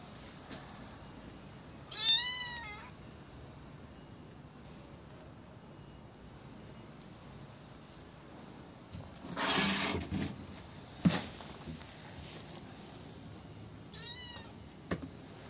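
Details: Young kitten, left behind after its siblings were taken and now being cared for and fed, gives a high harmonic meow near two seconds and a second thinner cry near fourteen seconds, with a burst of rustling noise between.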